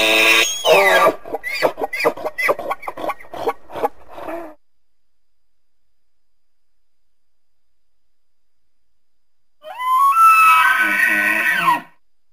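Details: Elk (Cervus canadensis), also called wapiti, gives a run of rapid, hoarse grunting chuckles, later a high, rising whistled squeal.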